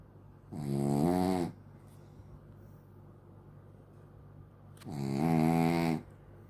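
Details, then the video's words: Sleeping dog snoring like a human; two long, loud, rasping snores roughly four seconds apart, each lasting about a second, with quiet breathing between them indoors. "Dog Snoring Like Human"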